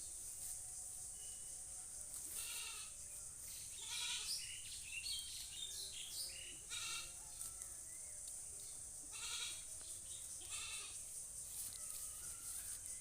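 A goat gives repeated quavering bleats every couple of seconds over a steady high hiss.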